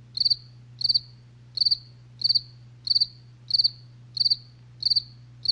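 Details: Night crickets giving regular four-pulse chirps, high-pitched and evenly spaced about every 0.65 seconds, with a faint low electrical-sounding hum behind.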